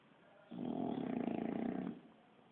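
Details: A single long, throaty snore from Kiára, a Bulldog asleep indoors; a rough, rattling breath lasts about one and a half seconds, then fades back to quiet breathing.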